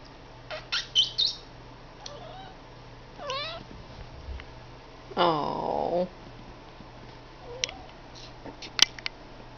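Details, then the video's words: Domestic cat named Blue Boy making a weird sound: scattered short chirps and clicks, a quick rising-falling harmonic call near three seconds, then a longer wavering trilled call lasting about a second, followed by faint clicks in a quiet room. "Blue Boy making that weird sound."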